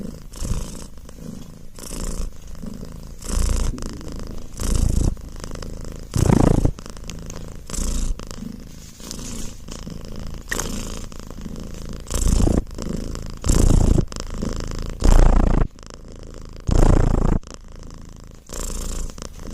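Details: House cat purring loudly, a deep rumbling purr swelling in regular breath cycles, some louder bursts standing out, recorded indoors at close range.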